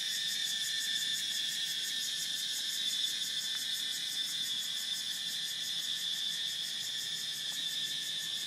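A cicada's loud, steady, high-pitched buzzing drone, pulsing rapidly without pause.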